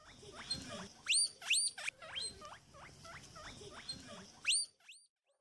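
A marmot makes a quick series of thin, high-pitched squeaks, a little more than two each second. Each chirp bends sharply in pitch, and a few louder ones stand out.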